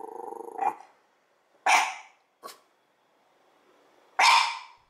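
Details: One-year-old Mameshiba at home barking hard out an open window at nobody outside, guard-dog style, on a cooling day: loud sharp barks near 2 and 4 seconds with a shorter yelp between, after a man's voice at the start.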